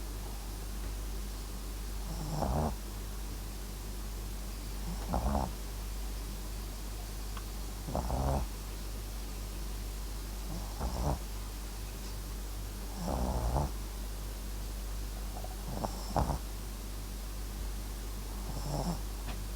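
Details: MAX, a Papillon crossed with a Japanese Chin, snores while asleep: rasping, fluttering snores roughly every two and a half to three seconds, seven in a row, with a constant low hum in the room.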